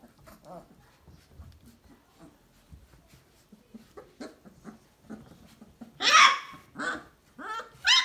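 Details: Three-week-old Basset Hound puppies, a litter in the whelping box, give soft grunts and snuffles, then louder whining yelps near the end, rising in bursts of a second or less.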